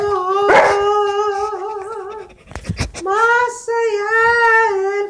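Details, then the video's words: Saint Bernard howling along to a song: long sustained tones with rich harmonics, wavering and sliding in pitch, broken by a short burst of noisy sound midway, then a second long rising and steady howl. "Saint Bernard singing"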